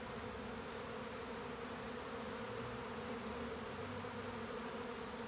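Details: Honeybees in a swarm at the time of colony splitting, producing an unbroken, even hum of many wings, a thick low drone layered with faint higher hiss, steady in loudness for the whole short stretch.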